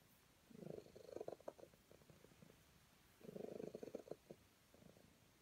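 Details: Petted calico cat purring contentedly in two uneven, pulsing bursts, the second trailing off into softer throbs, against a quiet background.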